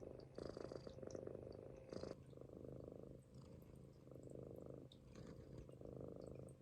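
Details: Munchkin kitten snoring while asleep on its owner's stomach, indoors; soft, raspy rumbling breaths in slow cycles of roughly one and a half seconds, quiet and close.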